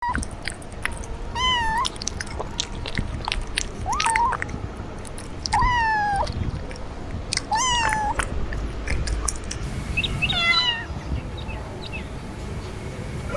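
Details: Domestic cat meowing indoors: a series of short rising-falling harmonic meows, about five in thirteen seconds, each under a second long, with chewing and rustling sounds in the background.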